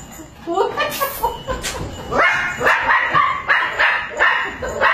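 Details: Chihuahua dogs guarding and protecting: after a rougher, muffled start, sharp, high yapping barks come in a quick series about twice a second through the second half, each bright and ringing.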